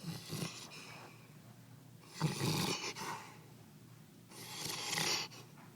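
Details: Black Labrador named Rocky, asleep upside down on a couch with cheeks flapping, snores in three long, noisy, rasping breaths spaced about two seconds apart, indoors with little other sound.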